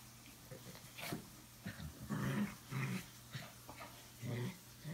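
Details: Boxer and Chorkie dogs playing and acting crazy together at home, with low rough growl bursts repeating irregularly, some snuffling, and a person speaking briefly at the start indoors.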